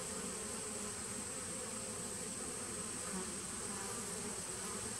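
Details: A 2017 honey bee nucleus colony on 19 September 2018 hums continuously, an even, low, layered drone with no breaks and a faint constant hiss above it.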